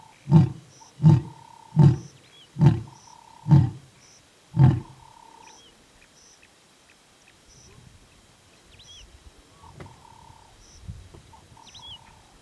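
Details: A lion in the Masai Mara, calling for its pride, gives a series of deep, grunting roars, each under a second apart, then falls quiet.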